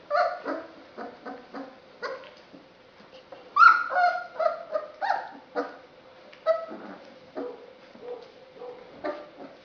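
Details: Basset Hound from a litter at a Polish breeding kennel, September 2011. Short yips and whimpers repeat irregularly throughout, with a louder cluster of whining cries near the middle.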